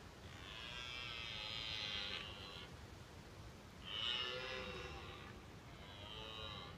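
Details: A red deer stag in autumn rut, watched from a car at Woburn Abbey, roars in three bouts, a long groaning bellow then two shorter ones, rich in strained harmonics, warning rival stags from his hinds and showing strength.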